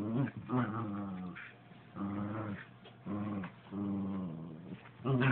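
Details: Nightwing, a pet dog, trying to get a slipper: a series of low, harmonic growls and whining grumbles in bursts of about a second, separated by short pauses.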